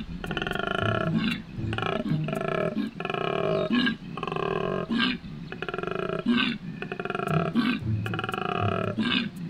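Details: A male koala bellows in spring mating season at Healesville Sanctuary, calling for a mate with deep, rasping, snore-like pulses rising and falling in a steady rhythm.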